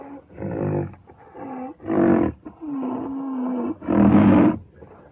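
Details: Rhinoceros alternating rough, loud roaring bursts with longer, steady moaning tones, one held for nearly a second, in a continuous sequence of about five calls.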